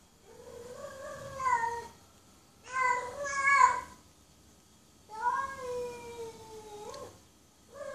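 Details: Female cat in heat mate calling: four drawn-out meows, the first two wavering, the third long and level before jumping up at its end, with short silent gaps between calls.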